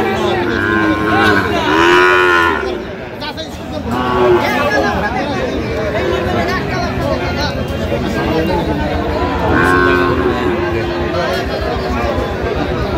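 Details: Sahiwal bull calves at a livestock market in Cox's Bazar, Bangladesh, on 8 November 2025: drawn-out harmonic moos near the start, again around four seconds and near ten seconds, over steady crowd chatter and bargaining voices.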